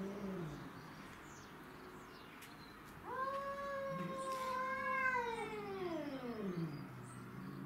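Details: Domestic shorthair cats fighting over territory: a long, loud harmonic yowl begins abruptly, holding a steady wavering pitch for about three seconds before sliding downward, preceded by lower growling moans.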